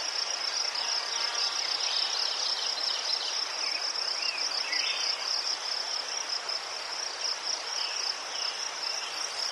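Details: Crickets in Ukraine among chrysanthemums, a continuous high pulsing chirr holding steady at a narrow pitch band, with faint short whistled chirps, possibly birds, scattered underneath.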